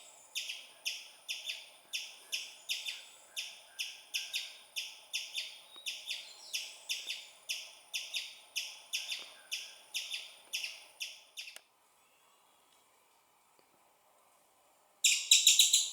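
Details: Young squirrel calling its mother with loud chirping: a fast run of sharp, high chirps, roughly three or four per second for about eleven seconds, then a pause and a sudden louder burst at the end.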